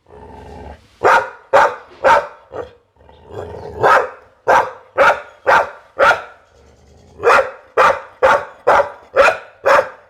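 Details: A Pit Bull barks in rapid, fairly regular volleys of loud, harsh woofs, roughly two per second, in three bursts separated by brief pauses with a low rumble.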